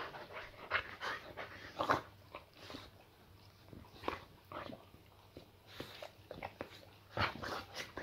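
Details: Layla the Boxer welcoming her owner home indoors: short, choppy whining yelps, a few higher tonal whimpers, broken by snuffling and rustling in a small room.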